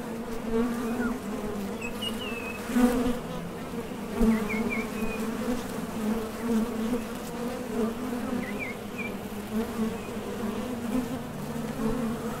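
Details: Honey bees hum continuously at a Top Bar Hive entrance as foragers leave for the field and return. Buzzing swells briefly when bees pass close, and a few distant bird chirps are heard through it.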